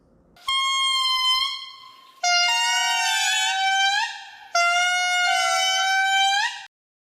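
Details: Indri song from Madagascar, showing a 1-to-2 rhythm where the second interval is twice as long as the first: three long, loud, wailing horn-like notes, each held about one and a half to two seconds, sliding slightly and separated by short gaps.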